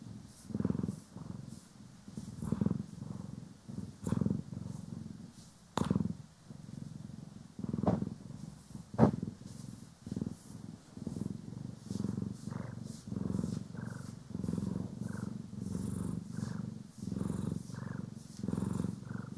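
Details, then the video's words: A house cat from the pair Poki and Kiwi purrs steadily while being brushed and groomed, stereo recording; a low throbbing purr beating in short rhythmic pulses, punctuated by occasional sharp brush clicks. "CAT ASMR | Purring, Grooming & Brushing"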